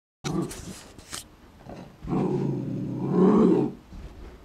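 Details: An Airedale Terrier puppy, seeing his reflection for the first time and unsure whether to befriend or frighten it, gives a low, rumbling growl that swells and then fades.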